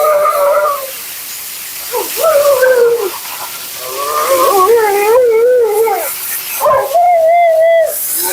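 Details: Dramatic Siberian Husky named Mila "talking" through her bath and blowout at a groomer's, second-ever groom: drawn-out yodelling moans that bend up and down, several phrases over steady background noise such as a dryer.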